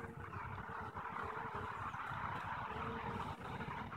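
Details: Steady colony drone from a kept honey bee hive on 21 April 2015, one day after eggs for three new queens were set in, hive unopened: continuous buzzing murmur with a faint sustained whine, no pauses.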